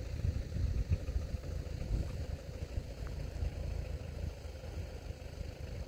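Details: Low rumbling engine idle with clattering mechanical noise, with no animal sounds.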